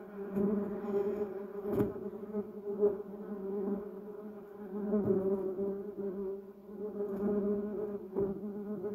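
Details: Bumblebees around a yellow cassia tree and a Duranta erecta give a soft, sustained buzz with overtones, rising and falling in strength, broken by a few sharp clicks, one near the start and another near the end.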